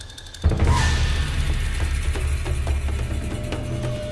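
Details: Dramatic music with heavy low drums and rumbling percussion, no animal voice heard.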